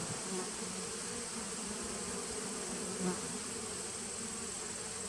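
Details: A colony of honey bees in a 2017 nuc, taped on 19 September 2018, gives an even, droning hum with a faint steady tone low down and one short swell near the third second.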